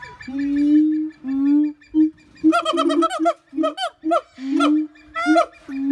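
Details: Siamang calling: deep sustained booms, then a rapid run of loud ringing barks and short rising whoops, some notes pulsed and stuttering, clearly dominant over faint background.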